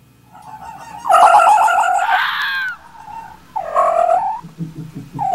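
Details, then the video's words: Red fox giving harsh, wavering, nasal calls in two loud bursts, each about a second long, the first breaking into a rough scream, with quieter low rumbling between them. "fox sounds"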